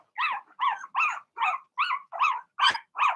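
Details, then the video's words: Cavalier King Charles Spaniel puppy in an indoor puppy pen, one of six Blenheim littermates born in March, barking steadily: eight sharp, evenly spaced yaps in just over three seconds, each bright and slightly rasping. "Cavalier Puppies Bark, Howl"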